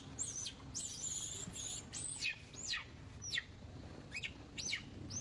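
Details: Young female monkey screams while clinging to an old monkey and refusing to be caught by another monkey; shrill, very high whistled arcs, rising then sliding down, in quick bursts over a low rumble of background noise.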